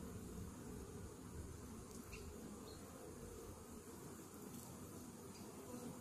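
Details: Dense, continuous low droning of many honey bees inside a Varroa-infested hive after a morning mite treatment, even in loudness with a few faint high ticks.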